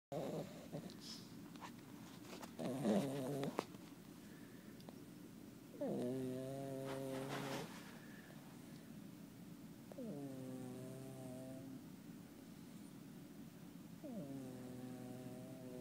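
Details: A sleeping foster cat snores in a quiet room: four drawn-out, buzzy, harmonic rasps, each lasting one to two seconds, arrive about every four seconds with soft breathing in between.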